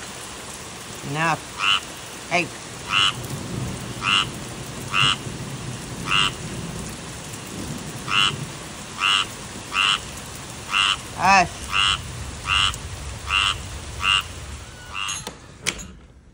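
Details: Tree frog croaking repeatedly in short, nasal, harmonic bursts, roughly one or two per second, over a steady rain-like hiss, with two lower sliding sounds in between.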